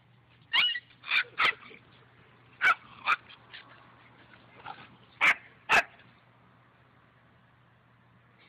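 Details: German Shepherd puppy, playful, barking in short bursts: about eight sharp, high yapping barks spread over six seconds, some in quick pairs, then quiet, with a steady low hum underneath throughout.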